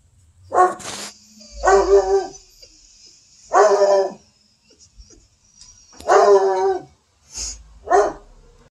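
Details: A Black and Tan Coonhound gives loud, drawn-out, hoarse barks, each half a second long, about every two seconds, while yelling at a squirrel.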